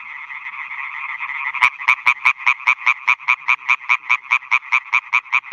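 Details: Chorus of male European tree frogs at new meadow ponds in Schleswig-Holstein at night, males calling to attract females; a blurred background chorus gives way to one close caller's loud, evenly spaced staccato croaks repeated quickly.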